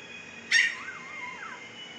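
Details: Fifteen-day-old Siberian Husky puppy in Pakistan, eyes just opened, gives a single sharp squeal that slides down into a wavering, fading whine lasting about a second; quiet room otherwise.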